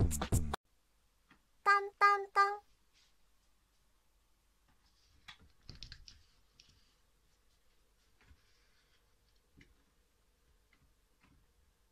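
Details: A loud burst, then three short tonal musical notes, followed by faint clicks, soft knocks and quiet room noise, with no animal voice.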